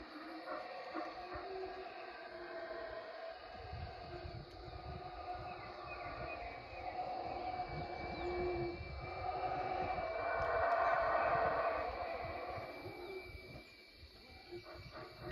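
Howler monkeys roar in a deep, droning chorus that swells louder before fading.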